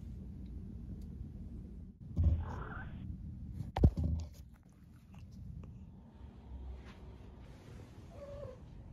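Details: Kiki, a female pet cat, giving a short rolling mrrp over a low indoor hum, followed by a sharp click, then a faint second trill near the end.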